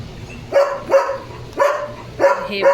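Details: Five strong, evenly spaced barks from Leo, a domestic German Shepherd, roughly one every half second, each a harsh, clipped burst, with a low background hum between them.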